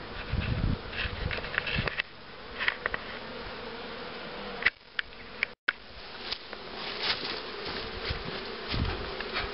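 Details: Honey bees humming around hives readied for rearing queens, 2013. The buzz is broad and steady with a low drone, interrupted once by a short gap, with scattered ticks and thumps from handling equipment.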